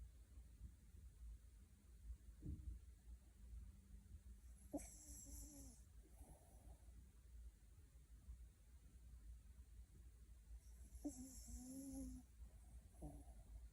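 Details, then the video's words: Puppy in deep sleep, dreaming, snoring and grinding its teeth while twitching: soft low rumbling breaths throughout, with two louder nasal, faintly tonal snores around five and eleven seconds, over a steady low indoor hum. "꿈꾸는 강아지 (코골이+이갈이+움찔움찔) Deep sleep"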